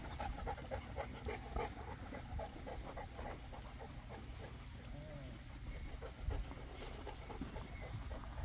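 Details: Panting Boerboel (African Mastiff) from a pair kept in Egypt: quick, hoarse breaths in an uneven stream, with brief soft whimper-like sounds and faint human speech behind.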